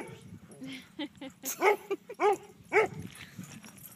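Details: Dog at a dog park, eager to play, barking so that others will chase it: three loud, clipped barks in quick succession near the middle, softer yips and murmured voices around them.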